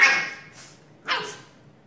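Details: Shiba Inu dog sneezing indoors: two sharp, breathy bursts about a second apart, the first strongest and fading, the second a short hissing snort.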